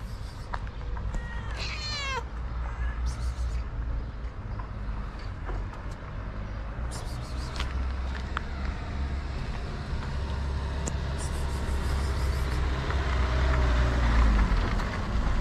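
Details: Hungry homeless white cats with blue eyes on a street in Morocco, being fed: one drawn-out, wavering meow early on, then low street traffic rumble and scattered clicks for the rest.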